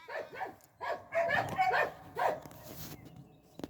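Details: Croatian Sheepdog Medo, a working herding dog, barks in a rapid, uneven run of about eight loud, harsh barks packed into under three seconds, with the outdoor rural setting behind.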